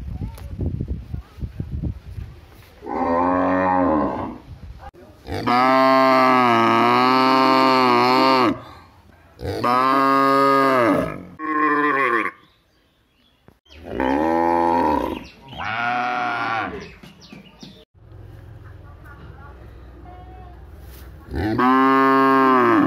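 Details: Village cattle mooing repeatedly, with a series of loud, drawn-out bellows of varying length, some short and clipped, others sustained for two to three seconds, with brief quieter pauses between them.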